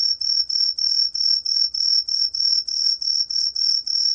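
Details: High, bell-like pulses from a Truljalia hibinonis tree cricket (National Institute of Biological Resources, Korea, 2020) follow each other quickly and evenly, roughly three per second, with a faint low background hum.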